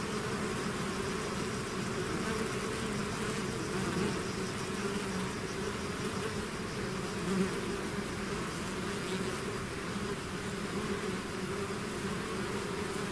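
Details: A swarm of bees out of its hive fills the air with constant humming, a broad low drone with occasional individual bees flying nearer, sharper peaks near four and seven seconds.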